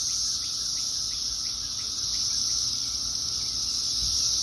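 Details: Thousands of Brood X periodical cicadas calling together in a tree in Fairfax, Virginia, 2021: a dense, unbroken high-pitched hissing drone holding steady throughout, with faint rhythmic pulses beneath it.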